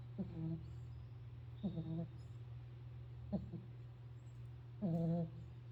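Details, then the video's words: Sleeping pit bull giving whiny, harmonic snores about every one and a half seconds, each breath a brief tonal drone, the last one longer and louder, with a constant low hum beneath. "Pit bull roncando"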